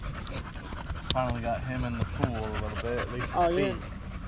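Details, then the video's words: Staffordshire Bull Terrier among other male dogs on a long evening at the park, giving wavering, whiny, drawn-out vocal 'chat' notes that bend up and down in short bursts, with panting and background noise. "Long evening at the park male wolf pack chat"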